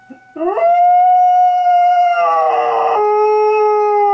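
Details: A male dog howls along with an air raid siren. A quick wavering rise settles into a long, steady, high howl that is held for several seconds, with a rougher, noisier stretch partway through.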